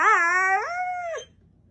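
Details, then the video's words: Pit bull howling: one drawn-out, tonal cry that starts higher, dips, then holds a steady level before sliding down and stopping abruptly, with faint background hum afterward. "I think he was a Husky in a past life"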